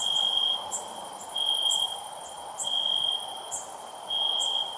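A cricket chirps in steady bursts, a high pure trill switching on and off about every second.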